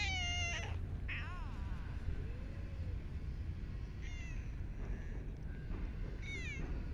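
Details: Street cats in a park being fed, loud bright meows with rich harmonics, one long descending wail, a soft low mew, then more meows near the end, with steady traffic rumble beneath.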